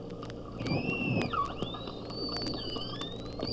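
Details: Bottlenose dolphin; clicks and whistles; echolocation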